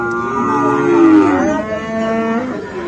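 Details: Friesian and cross-breed bull calves at Aftabganj livestock market in Dinajpur on 10 December: a drawn-out, tonal moo sliding downward in pitch, with a second overlapping lowing call fading out in the busy market.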